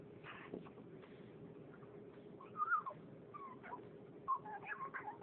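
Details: A female French Bulldog who wants to play and whimpers for attention gives thin, squeaky whines that rise and bend, coming in short irregular bursts.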